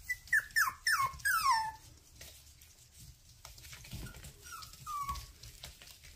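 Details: Young toy poodles from Mountain Home, Arkansas, whining: four sharp falling whimpers in the first two seconds, then a pause and two or three fainter drawn-out whines near the end.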